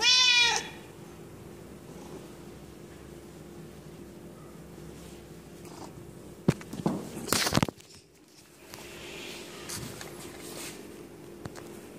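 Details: A male Siamese cat, angry at having his body touched, gives one loud, harsh, wavering yowl of annoyance.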